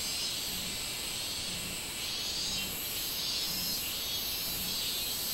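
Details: Minminzemi, the robust cicada, recorded 24 July 2016: an unbroken hissing, high-pitched buzz that swells and fades slightly, with no other clear sounds.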